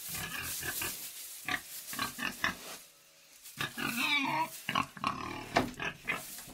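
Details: Pig in a pig sty producing rapid, uneven grunts about four per second, a quiet gap midway, then noisier snuffling grunts with brief tonal squeals.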